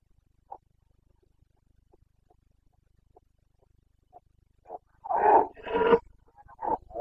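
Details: Carpathian red deer stag in the Bucovina mountains during the breeding season, 29 September 2022: after faint scattered sounds, two loud, rough, harsh roars follow close together near the end, then a shorter third bellow.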